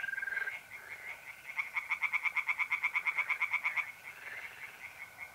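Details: Mid-April night at a pond in north-east Italy: one loud volley of quick, evenly spaced tree frog croaks about two seconds long, quieter croaking before and after, and mole crickets trilling steadily in the background.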